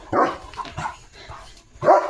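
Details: German Shepherd named Leo barking while out with grazing cattle passing by, in light rain; short rough barks at the start and end with softer yelps between.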